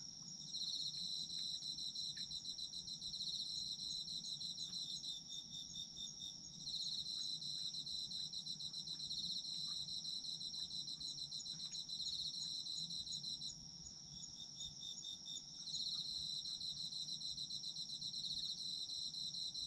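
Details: Night chorus of autumn insects, a constant shrill ringing note overlaid by rapid pulsed chirping that comes in long bouts separated by brief lulls around 6.5 and 14 seconds, over quiet low background noise.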